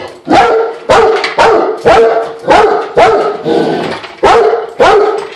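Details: A Rottweiler barks at a floor jack it dislikes, in deep, loud bursts about every half second.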